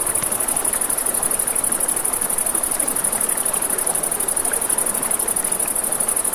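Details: By a river at night, crickets sing a continuous thin, high buzzing trill while the broad hiss of running water is stronger here, and a campfire crackles faintly.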